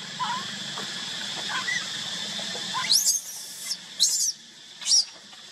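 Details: Young monkey crying while left alone by its mother: faint whimpers at first, then three loud, piercing, wavering screams about a second apart against a constant low hum.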